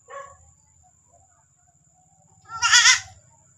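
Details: Domestic goat on a farm where a goat has just given birth again, giving one loud, wavering bleat with a quavering tremble, preceded by a short fainter call and quiet background hum.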